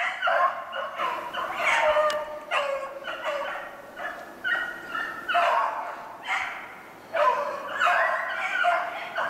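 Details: Pack of beagles running a snowshoe hare, 2/25/16, a ragged, overlapping chorus of yelping and howling bays rolling on without pause.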